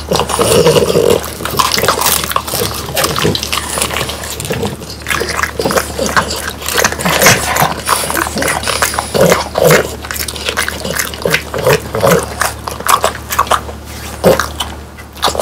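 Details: French Bulldogs crunch and chew dried whole quail, bones included, with sharp, rapid bites and wet smacking.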